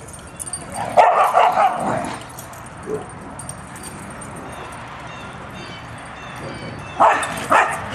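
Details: A pack of two dozen huskies at play, wrestling and running on 4-23-10, gives a short burst of yelping barks early, a single yip near three seconds, then another quick pair of barks at the close.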